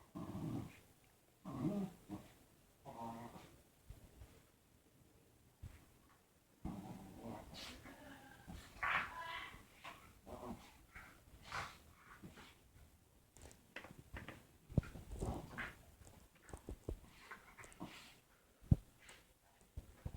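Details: Pet dog making weird noises before a hug: low, throaty grumbling and growl-like bursts in uneven spurts, some with a nasal, whiny edge, separated by quiet gaps, with soft rustling in the background.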